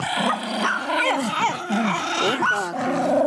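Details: Pomeranian at a kennel in Kyiv, Ukraine, giving a run of low, rough growling grumbles with wavering, rising-and-falling tones over about three seconds, with steady background noise throughout.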